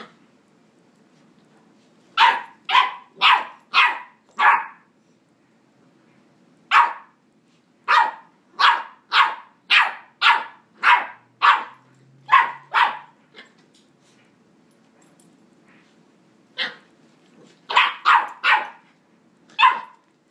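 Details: A 9-week-old West Highland White Terrier puppy, recorded on an iPhone 4s, barking in bursts: clusters of four to eight sharp, high yips, several per second, separated by short quiet pauses against a faint low background hum.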